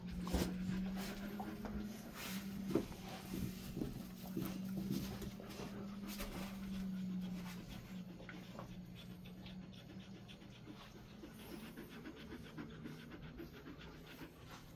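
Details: Resting Golden Retriever in a cool room with air conditioning set to 20–22 degrees, giving rapid, soft, rhythmic panting breaths, roughly three or four per second, over a steady low electrical hum that fades midway.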